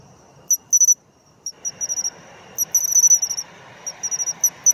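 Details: Pine cricket (matsumushi) filmed while singing in autumn: clear ringing high chirps in quick clusters, a near-silent pause early on, then a soft continuous background hiss of other insects under the repeated pulse groups.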